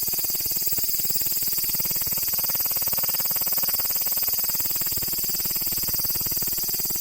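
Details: Cicada filmed in close-up, very loud: a dense, shrill, high-pitched buzzing drone with a rapid rhythmic pulsing throb, steady and unbroken in volume from start to finish, with no other sounds.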